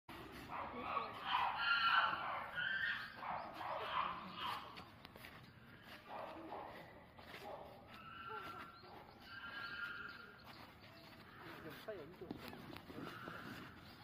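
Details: At Asa Zoo, chimpanzees excited by a fight between black rhinos give loud hooting and screaming calls over a noisy, rumbling background.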